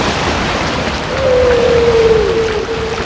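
A humpback whale gives a long, steady mid-pitched moan that slowly sags lower, over a wash of ocean noise.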